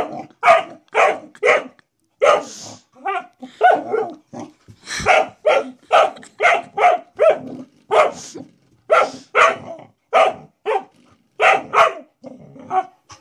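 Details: Domestic dog barking at a door stop it seems to see as a threat; a long run of rapid, sharp barks, mostly in pairs and triplets, continuing for over ten seconds with brief gaps and a hint of growl.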